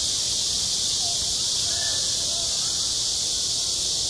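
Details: Cicadas singing on a school playground in midsummer, recorded outdoors: a dense, unbroken high-pitched buzzing chorus fills the clip at steady loudness, with faint lower tones barely audible underneath.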